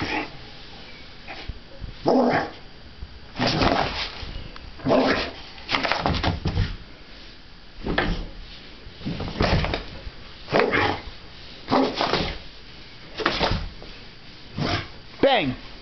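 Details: Boxer dog giving short, harsh barks in irregular bursts, roughly forty a minute, with gaps of one to two seconds, while a person nearby playfully chants repeated words over the barking.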